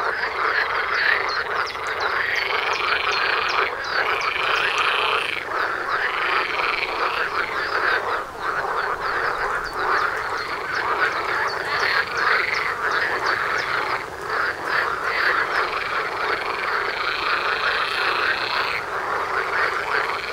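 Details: Frog chorus right outside a front door, with many frogs croaking at once in dense, overlapping, rattling calls that run continuously without pause, forming a steady wall of sound.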